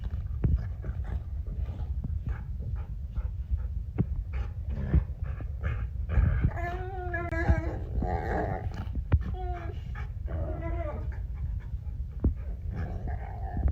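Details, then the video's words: Pet dogs, an 80 lb Cane Corso and a 120 lb pit bull, making funny noises at 3 am and keeping their owner awake: low rumbling and scattered clicks at first, then a series of wavering, harmonic moans and whines in the second half. "MY 80 LB CANE CORSO AND 120 LB PITBULL ARE MAKING FUNNY NOISES AT 3AM"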